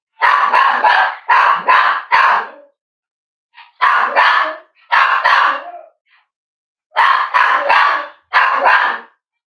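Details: Cavalier King Charles Spaniel indoors at Red Barn Cavaliers on a chilly morning; loud harsh barks in clusters of two or three, five bursts spaced a second or more apart, a faint yip between.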